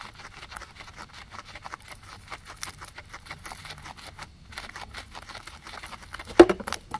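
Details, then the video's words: Two guinea pigs munching grass, recorded on a ZYLIA ZM-1 array; quiet, rapid nibbling clicks run throughout, pause briefly, then resume, with one louder short squeak-like burst near the end. "Guinea pigs eating"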